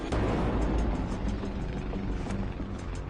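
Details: Dense dramatic music with a rumbling low drone fills the clip, and no animal sound is heard.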